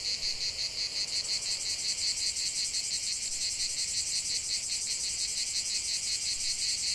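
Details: Singing cicadas, a high, crisp pulsing buzz with a clearly rhythmic throb several times a second, continuous and loud, over a softer shimmering chorus.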